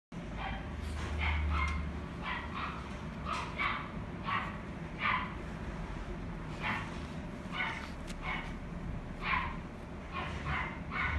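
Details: A female white-and-gold Shih Tzu puppy at a pet shop gives short, high yips in irregular bursts over a steady low hum.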